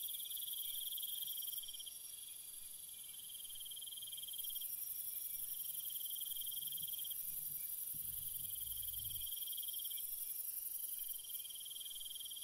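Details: Soothing night ambience of chirping crickets: repeated pulsed trill phrases lasting one to two seconds each above a constant shrill insect background, with a brief low thump midway.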